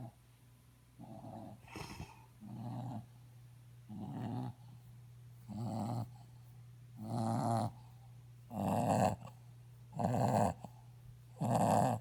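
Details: Mushu the dog snoring indoors, a series of rough, noisy snorts repeated roughly every one to one and a half seconds, growing louder toward the end, over a steady low electrical hum.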